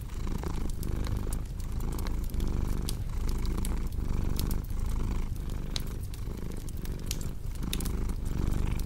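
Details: Cozy purring from a domestic cat paired with fireplace crackle for sleep: a strong, even low-pitched rumble pulsing with inhale and exhale, while quick sharp pops of burning logs flicker throughout.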